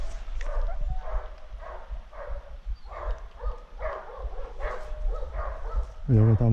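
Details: Dogs pursuing wild boar during a hunt bark rapidly and irregularly, several overlapping harsh barks per second, ending in a loud, close, strained yelp-like cry; low rumble throughout.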